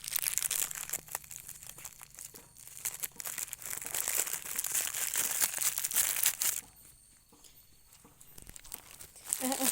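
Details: Crinkling and tearing noises with faint speech fill a small indoor room, then a near-silent stretch before the rustling returns; no animal call stands out.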